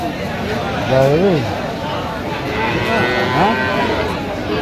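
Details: Cow at a busy cattle market in Aftabganj, Dinajpur, Bangladesh, during price haggling on 14 October 2025; a short rising-falling low moo, then a fainter second one, under men's talk and crowd noise.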